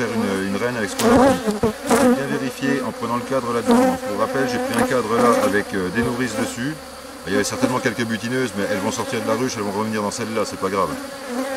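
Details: Drone-laying honey bee colony being rescued on 3 May 2021 after its introduced queen cells were destroyed; a thick, buzzing hum of numerous bees with shifting pitch, broken by sharp clicks and knocks of frame handling.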